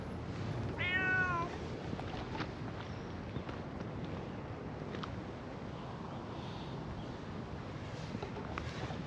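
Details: Stray cat in a park, where two elderly cats are being petted and a brown tabby comes over: one clear, drawn-out harmonic meow near the start that bends up then down, then only low rumbling background noise and faint clicks.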